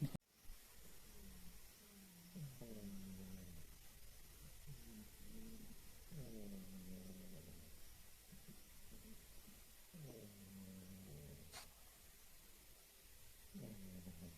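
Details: Snores from Gigi, a female house cat, that sound like an old man's: deep, rough, buzzy breaths repeat about every three to four seconds, each rising then sinking, in a quiet indoor room.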